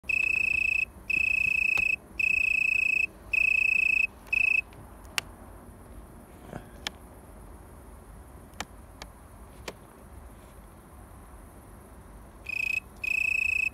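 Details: An Italian tree cricket in a garden in Haan, North Rhine-Westphalia, Germany, sings soft, pure purring trills in bursts of about a second, separated by brief pauses.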